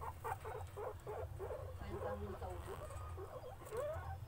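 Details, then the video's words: Guinea pig eating with enjoyment, giving a rapid run of short, crisp munching clicks about three to four per second, with a few brief squeaky glides near the end over a steady low hum. "Guinea pig full masti an eat"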